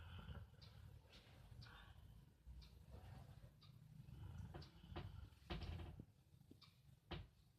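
A Rottweiler snores with a deep, rough rumble that swells and fades with each breath.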